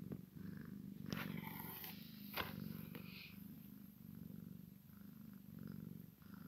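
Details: Maine Coon x Sphynx kitten playing with its mother, purring in a low continuous rumble while several sharp rustling and knocking noises break in during the first three seconds.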